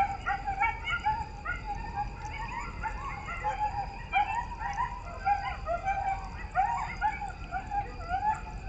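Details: A coyote pack howls together at night near woods and a creek in the foothills of the Appalachians, northwest Georgia, in a wavering chorus of overlapping yips and quavering high-pitched wails.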